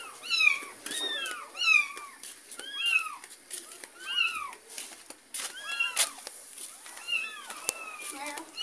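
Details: Mother cat follows her kitten as it is carried home from a neighbour's house; rapid, overlapping high meows, each rising then falling, come in quick clusters, with a human voice now and then.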